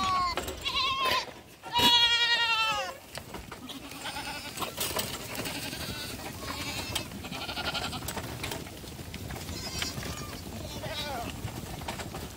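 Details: Black goat kids running on a farm in Gimhae, South Korea, in July; a loud wavering bleat early on, then fainter overlapping bleats from several animals amid steady rustling and farm noise.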